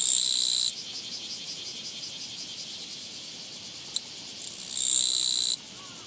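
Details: A Japanese katydid (Gampsocleis mikado) met along a walking path, 24 August 2017, sings loud, high, rasping buzzes in short bursts separated by quiet pauses.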